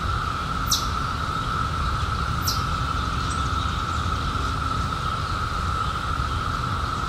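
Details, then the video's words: Steady massed drone of cicadas, emerged in 2021 after a 17-year hiding, holding one pitch without pause; two sharp high descending bird notes and a faint chirp sound over a low background rumble. "CICADAS 🌿 Sounds"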